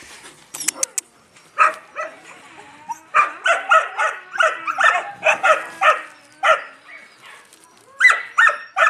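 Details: Yakutian Laika puppies giving sharp clicks at first, then rows of short, shrill barks in quick groups of three or four, with a brief pause and a last loud pair of yelps.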